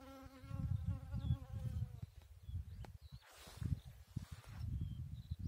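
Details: Bee at work on a chicory flower, a low droning buzz that rises and falls steadily throughout, with a brief harmonic whine in the first two seconds and faint rustling.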